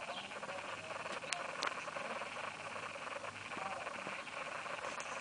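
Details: Baby squirrels inside a nest box, giving faint, dense, high squeaky chatter with scattered sharp clicks and rustling over a steady hiss.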